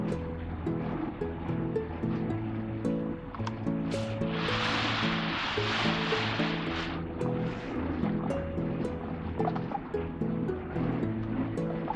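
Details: Steady music with layered low tones fills the whole stretch, and a broad hissing rush swells between four and seven seconds. No animal voice stands out.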